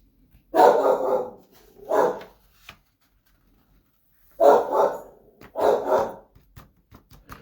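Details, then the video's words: An Australian Shepherd barks indoors, giving loud, full-throated barks in two quick pairs. "so um my dog is a little bit obnoxious and I'm sorry that he is barking like a fool but I got to tell you he makes up for it in cuteness"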